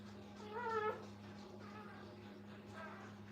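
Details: A new litter of Brittany puppies beside their mother: one short, sharp, rising-falling whine, then softer faint whimpers, with a constant low electrical hum underneath.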